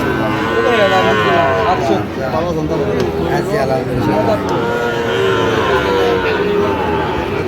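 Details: Sahiwal bull calves about eight to nine months old at a busy cattle market: repeated low, wavering moos from several animals overlapping through the stretch, with men's voices and crowd noise throughout.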